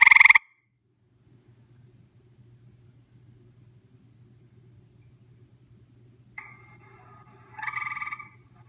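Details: A visiting gray treefrog, recorded at close range, gives short, loud musical trills, with a low steady hum underneath.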